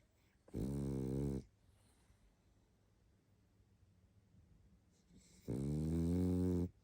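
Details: Sleeping pug Barney, tired out, snoring twice: deep buzzy rattling inhalations close to a second long, separated by roughly four seconds of soft, quiet breathing indoors.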